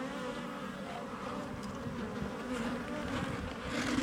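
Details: Honey bees from an established colony in a house wall, opened up during a cutout: a dense, unbroken low hum, swelling slightly toward the end, with no other clear sounds.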